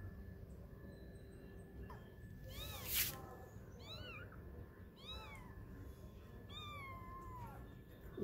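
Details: Kittens aged twenty days, playing as they learn to walk, utter a run of short arched mewing calls, with one sharp click partway through and a low rumbling background.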